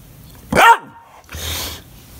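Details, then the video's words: An English Bulldog pup throwing a fit, barking and crying when nobody plays with him, indoors: one sharp, tonal bark that bends downward, then a longer breathy, raspy huffing sound. "My English Bulldog that sounds like an Ewok when he throws a fit!!!"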